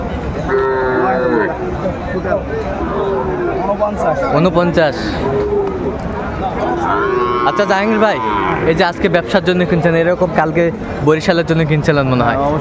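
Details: Sahiwal bull at a livestock market, 16 April 2024, with traders buying bulls for resale. A steady, harmonic moo opens near the start, followed by further lowing tangled with loud bargaining voices and crowd noise.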